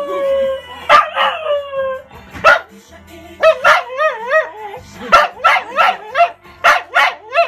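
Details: An English Cocker Spaniel howls along to its favourite Ukrainian R&B song, its voice wavering up and down in long tonal notes.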